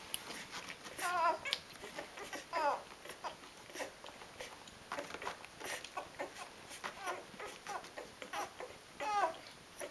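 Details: Rhodesian Ridgeback puppies four days old, a newborn litter: scattered squeals with wavering, warbling pitch, several louder cries among soft rustling and suckling clicks.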